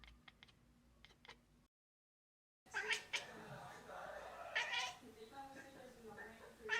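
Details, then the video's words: A compilation of two pet cats chirping at prey such as birds; one often chirps mornings from a window. A cat chirps and chatters in quick clicky bursts, then gives louder trilling chirps; faint voices may be underneath. "Cats calling birds compilation - chirping sound"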